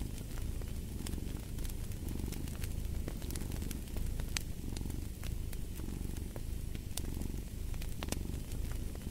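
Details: Deep continuous cat purr, its low rumble rising and falling with each breath, accompanied by a crackling fireplace with frequent snapping pops.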